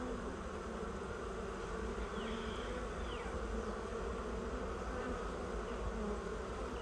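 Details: Swarm of honey bees entering their new hive, agitated and crawling downward; dense continuous low buzzing, a couple of sharper individual bee passes rising over the drone.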